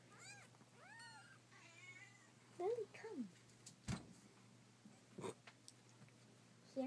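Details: Kittens meowing: several short, rising-then-falling tonal mews in quick succession near the start, then a lower, wavering mew a couple of seconds later, with people talking softly and small knocks and handling noises in a small room.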